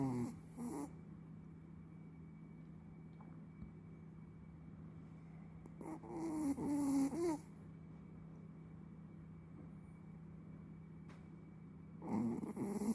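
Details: Sleeping Chihuahua snoring indoors: three short, raspy, wheezing snores about six seconds apart, with a steady electrical hum and quiet pauses between them.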